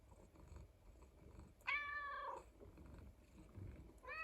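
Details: Rescued house cat indoors giving one clear drawn-out meow after a quiet low rumbling start, then the onset of another rising meow at the very end.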